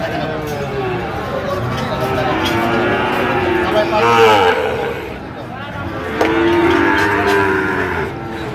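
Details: Sahiwal bull calves at Ambari market, Dinajpur, Bangladesh, 1 September 2025; overlapping lowing calls rise and fall over several seconds, mixed with crowd voices and market bustle.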